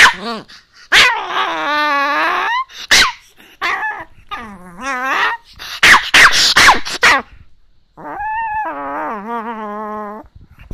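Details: Chihuahua grumbling at an owner reluctant to get up in the morning: long wavering whining growls broken by sharp yelps and barks, ending in a sustained nasal moaning cry.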